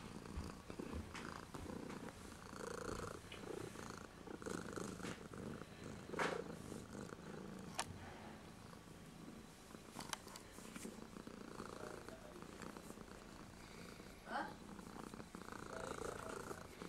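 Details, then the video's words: Kitten named Muhammed purring steadily and softly through the recording, made with a JVC GZ-MS100 camcorder with its front LED on; occasional clicks and small room noises. "Cute kitten"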